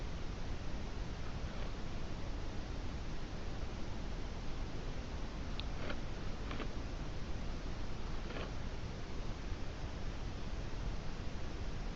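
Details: Dense, steady broadband hiss dominates throughout, broken only by a few faint ticks and clicks, with no animal voice.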